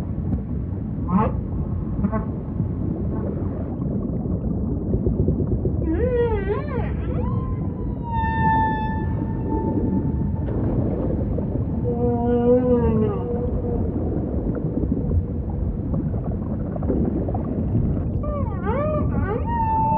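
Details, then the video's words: Humpback whale song in ocean ambience: a sequence of short rising cries, wavering harmonic wails and sustained level moans, a cluster of rapid pulsed upsweeps, and more rising whoops near the end, all over continuous low-frequency water rumble. "Majestic Whale Song · beautiful humpback"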